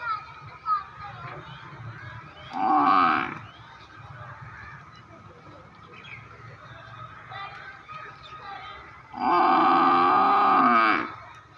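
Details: Two buffalo calls: a short, rough grunting bellow first, then after a pause a longer, louder moan of nearly two seconds, both harmonic and low, with a steady background hum between.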